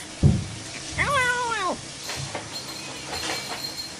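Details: A single clear meow from a playful house cat, rich in harmonics, rising slightly and then sliding down over about three-quarters of a second. A sharp knock comes just before it, and faint rustling follows.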